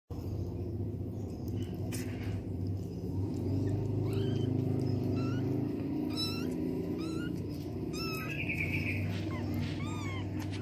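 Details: Domestic cat with kittens as the mother cleans them and helps them urinate: thin, high kitten mews, some quavering, some rising, come in short scattered bursts from mid-clip over a steady low rumbling hum.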